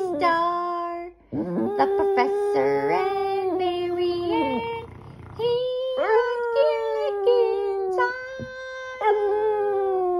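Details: A Boston Terrier howls along to the Gilligan's Island theme song, drawn-out, wavering howls that slide up and bend down with brief pauses, while the tune and people singing play underneath.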